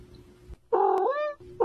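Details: Angry domestic cat: one loud, drawn-out harmonic meow lasting under a second, holding a steady pitch and then bending upward before fading. A second cry begins at the end, over a low background hum.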